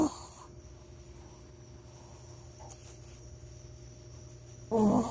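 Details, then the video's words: Shih Tzu dog snoring indoors: a low, steady rasping breath sound held through most of the clip, with a soft electrical hum beneath and a brief louder burst at the very start and again near the end. "shih tzu snoring"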